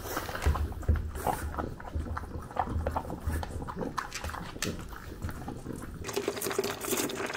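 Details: Close-up chewing of a French bulldog at breakfast in Japan, captured with a DJI Pocket 2; steady moist crunching and smacking, uneven in rhythm, with a faint low hum beneath.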